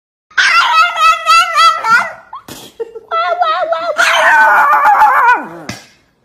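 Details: Angry Chihuahua giving long, wavering high whines and yelping cries with sliding pitch, in two bursts separated by a short pause, ending in a falling whimper.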